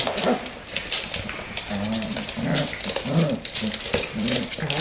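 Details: Tibetan Terrier at play, giving repeated short, arched grumbling growls, about one every half second, each rising and falling in pitch, with a human voice and background hiss.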